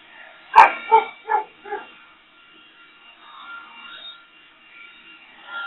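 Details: Boxer dog barking at a leaf blower: four quick barks in under two seconds, fading in strength, then a faint hum of machinery.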